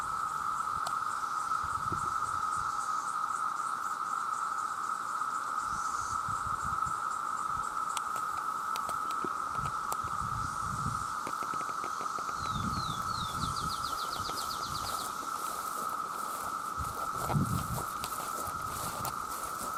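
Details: Chorus of many male cicadas calling to attract mates: a continuous, even, high buzzing drone that stays level throughout, with soft rustling and patter in the background and a short series of quick chirps near the end.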